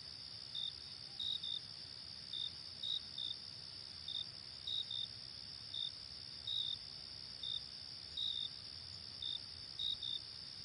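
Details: In a daytime chorus, a continuous, shrill cricket trill hangs high and unbroken, with brief clipped chirps at a slightly lower pitch over it in loose, uneven bursts roughly every one to two seconds.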